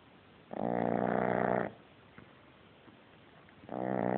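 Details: Sleeping French Bulldog puppy snoring heavily: one loud, rasping, drawn-out snore lasting about a second, a quiet pause, then the next snore beginning.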